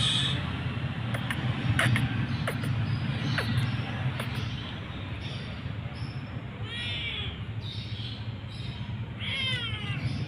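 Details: Mother cat and kitten waiting for food during a walk; after several seconds of clicks and low rumble, two short wavering meows come late, with a person speaking softly nearby.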